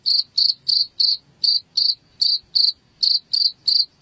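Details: Cricket sound used as a rat repellent at home, giving steady, evenly spaced shrill chirps, about three per second, each a short buzzy pulse with a high ringing edge and low background murmur.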